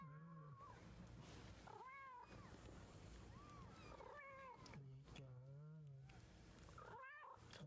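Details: Kitten learning to walk, recorded April 2014: several thin, high meows, each rising then falling, spaced a second or so apart over a steady background hiss and low hum.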